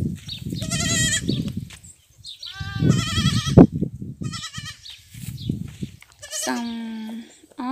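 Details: Goat kids rejected by their mothers being bottle-fed; several short, shaky bleats scattered through the recording, one long bleat near the end, mixed with low background talk and handling noise.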